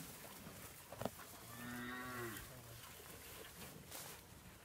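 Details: Charolais calves offered for sale in China, Nuevo León: a fairly quiet low moo of about one second with a steady harmonic stack, preceded by a sharp knock, with faint background noise throughout.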